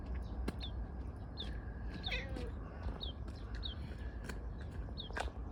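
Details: Affectionate stray tortoiseshell cat in a park, rubbing against someone while meowing: one short, soft, slightly wavering meow near the middle, set against repeated high, thin bird chirps and a steady low outdoor rumble.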